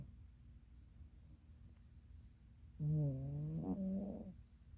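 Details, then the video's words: A female Norwegian Forest Cat takes a catnap on a rainy Thursday and gives a single low, buzzy snore that lifts slightly in pitch as it ends. "💤Snore Queen💤 (Norwegian Forest Cat Snoring-VOLUME UP)"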